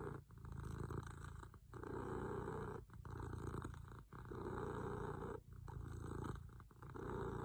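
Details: Snoring from a sleeping pet cat: a rough, purring rumble swells and fades in regular breaths. About six cycles follow, each ending in a brief hush before the next inhale.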